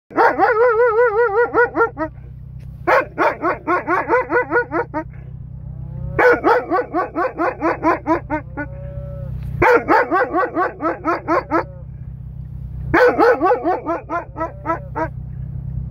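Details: An Alaskan Malamute "talks" to a cow, howling in wavering, yodel-like bursts, each lasting about two seconds.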